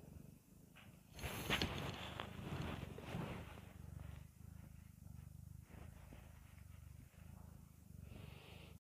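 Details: A cat purring: a steady low rumble pulsing about four times a second throughout, with a burst of broadband rustling around the second and a half mark.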